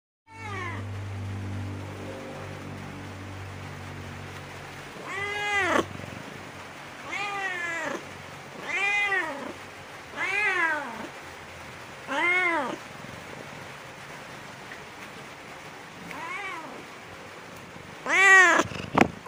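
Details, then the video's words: A cat calls from a bamboo tree while looking for food and drink, giving a series of seven short arched meows roughly every one to two seconds after a quiet start, ending with a sharp louder cry amid steady background noise. "The sound of a cat meowing in a bamboo tree, calling"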